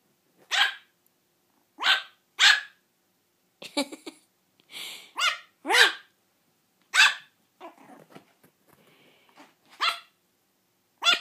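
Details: Three-month-old toy Yorkshire Terrier puppy barking for the first time: short, high-pitched yaps, about eight in eleven seconds, spaced irregularly, with a few softer grumbling sounds between them.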